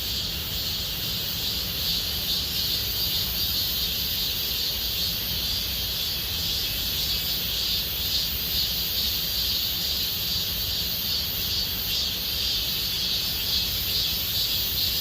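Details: Summer cicada chorus at Gomsol Nuri Forest in the Sihwa area of Korea: continuous shrill buzzing layered in high bands, gently pulsing in loudness, over a soft low background rumble.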